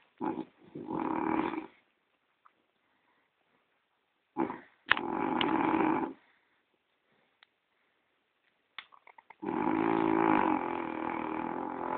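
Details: French Bulldog named Gordon, asleep and snoring indoors; three long, rasping snore bursts with buzzy layered tones, each about one to two seconds, separated by quiet pauses with faint clicks between.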